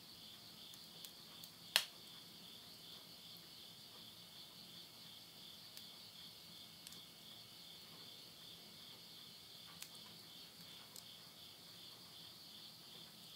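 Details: At midnight in Tottori's Yurihama countryside, Japan, in September 2020 at summer's end, insects keep up a thin, high, steady pulsing trill. Sudden loud cracks and softer pops come from wood burning in a stove.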